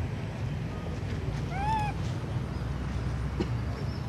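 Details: Baby monkey named Sweet Pea, hungry for milk, crying loudly up on a tree: a single arched, tonal wail with stacked harmonics, rising then falling, lasting about half a second over steady low rumbling background noise.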